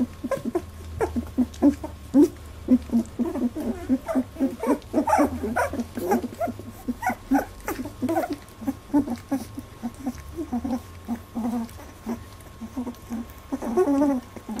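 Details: Eighteen-day-old Labradoodle puppies jostling at their first milk fight make dense overlapping squeaks, grunts and whimpers throughout, with suckling and shuffling noises beneath.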